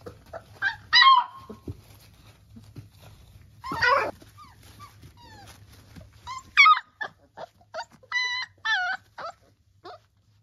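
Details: Three-week-old Labrador puppies squealing: a few loud, piercing cries early on, then a quick series of short, bright, evenly spaced squeaks toward the end, over faint rustling that stops in the final seconds.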